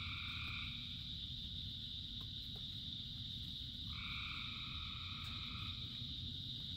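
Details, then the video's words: A dense frog chorus during rain, with a continuous high trill and a lower paired drone that drops out near the start and returns midway, all over heavy steady rain noise. "Frogs in Rain 2 Hours of Frogs, Thousands of Frogs Singing"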